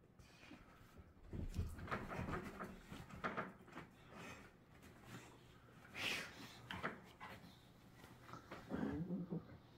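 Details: Pit bull puppy with baby teeth play-wrestling an adult rescue pit bull, growling and snarling; rough noisy bursts and scuffles come in irregular clusters, with a brief higher whiny note near the end.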